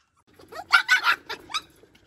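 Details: Two white rescued stray dogs, shut in a cage and making a fuss to be let out. A quick run of about five short, high, yelping barks within one second, each sharp and ringing, with quiet room noise behind.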